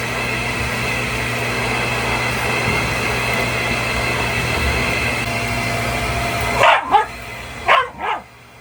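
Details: Pet Shiba Inu Mametaro, in shedding season, barking at a running vacuum cleaner indoors; a steady loud machine drone fills most of the recording before two quick pairs of short, hostile barks break through at the end.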